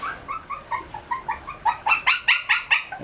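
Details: Shih Tzu puppies raised on raw food let out a steady run of short whining cries, softer at first, then louder and harsher toward the end, about two or three each second, indoors.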